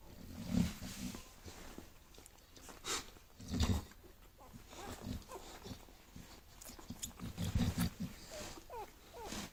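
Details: Six-day-old bulldog puppies dreaming in their sleep, giving soft low grunts and brief whimpering snuffles at intervals, with quiet room sounds between.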